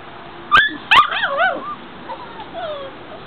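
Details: Outdoor pen in a front yard holding five-week-old puppies on a mild afternoon: two sharp yips, then a run of bending, sliding whines that fade into softer trailing whimpers.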